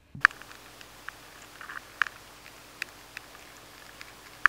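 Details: Adult maize weevil inside a grain of maize, nibbling steadily, in a high-sensitivity recording of a stored-grain pest: sparse, sharp ticks, the loudest spaced roughly two seconds apart, with fainter scratches between and a low steady hum beneath.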